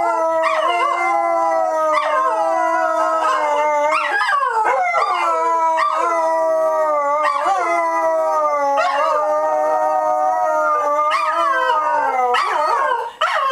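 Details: Group howl from dogs at Dodger Valley on opening day: several voices sing at once, each tone swooping upward roughly every two seconds and then sliding slowly down, repeated through a long continuous chorus.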